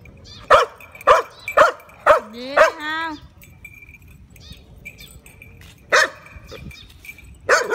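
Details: Barking Shiba Inu confronting a cat fires four rapid barks about half a second apart, then a rising whiny yelp; after a lull two more barks break through, with a man's voice calling.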